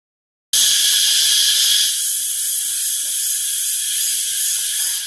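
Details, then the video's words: Crickets near LingaMala Waterfall in Mahabaleshwar, Maharashtra: a dense, continuous high-pitched shrill buzzing chorus that begins abruptly and holds steady, with a faint low rumble beneath during the first moments. "The Crickets chirping"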